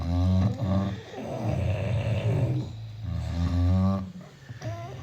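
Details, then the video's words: Six British Bulldogs asleep indoors, snoring in deep, rattling low rumbles that swell and fade with each breath, rhythmic harmonic snores layered from several dogs at once. "The sound of 6 British Bulldogs sleeping."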